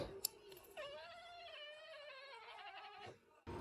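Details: Domestic cat, just after its owner sneezed loudly, gives a long drawn-out meow lasting over two seconds, steady then slightly falling, with rich harmonics; a brief click before it and a person's voice after.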